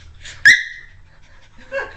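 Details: A Cairn Terrier playing with a cat toy gives a sudden, high, thin yelp, then a softer whining note a moment later.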